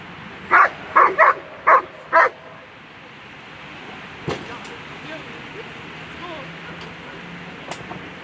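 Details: German Shepherd Tanne v Scalindjo at a World Championship Agility event, Sunday A2 run, giving five quick sharp barks in a burst within about two seconds, followed by steady crowd murmur and a few claps or thuds.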